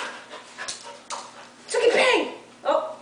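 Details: A female Australian Shepherd gives a short wavering howl that rises and falls as her owner sings Justin Bieber's "Baby", a song she howls along to.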